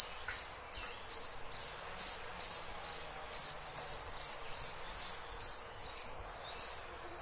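A cricket gives short, high, trilled chirps, repeated roughly twice a second in a steady rhythm.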